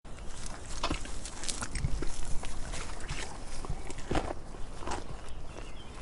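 A donkey chewing, with steady, low, crunching bites and soft rustling.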